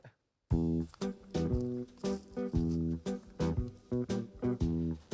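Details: Plucked guitar music with a steady bass line plays throughout. No animal sound can be picked out.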